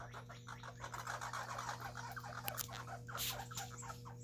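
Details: Two baby red squirrels eating together in a backyard during a food fight; a fast run of dry, rattling pulses repeats through the whole stretch, over a steady low electrical hum.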